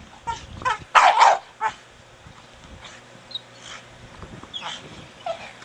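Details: Four-year-old Staffie Brogan at play with his big hard plastic ball. One loud double bark near the start, then softer, scattered yips and short barks over a quiet background.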